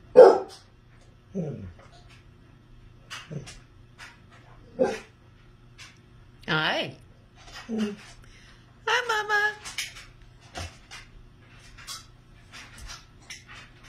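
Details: Pet Basset Hound indoors, grumbling and barking back at another hound lying in her favourite bed. Short barks and low grumbling whines come irregularly, mixed with a woman's voice speaking.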